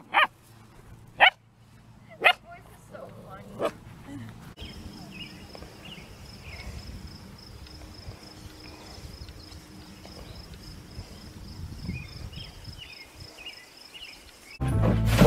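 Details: Dog barking: a few sharp, separate barks in the first four seconds, then a long quiet stretch with a faint steady high whine, ending in a loud burst of noise.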